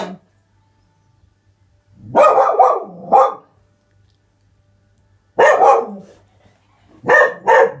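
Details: Springer Spaniel puppy indoors barking at something outside: three loud, rough bursts after a quiet start, the first a quick double bark, then two more a few seconds apart, with a faint low hum underneath.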